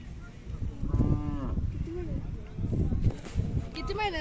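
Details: Khillar cattle at the Kole village fair in Sangola taluka, Solapur district, held 18–22 May 2024, where young Khillar bulls and bullocks are offered for sale; a short harmonic moo rings out over crowd chatter, with more voices and fairground bustle.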